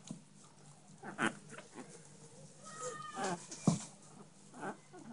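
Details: Short yelps and one thin, tonal whine in the middle come from Chihuahua puppies, ginger and blue in colour, in Minsk, amid faint rustling and knocks.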